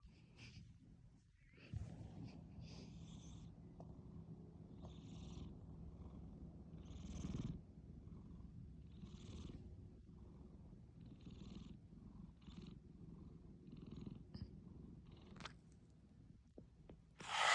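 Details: Kuromitsu, a pet cat, snoring loudly: a steady low rumbling drone broken by soft airy puffs roughly once a second, with a brief louder rustle at the very end.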